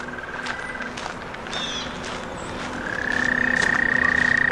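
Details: A male American toad, hidden at the edge of the Delaware Canal, possibly under debris, gives a long, steady, high musical trill that swells louder toward the end, in spring among daffodils.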